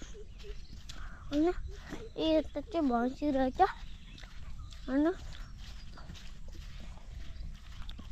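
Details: Male goat giving short, quavering bleats, a tight cluster of four in the first few seconds followed by a lone bleat a little later, over a steady low rumbling background.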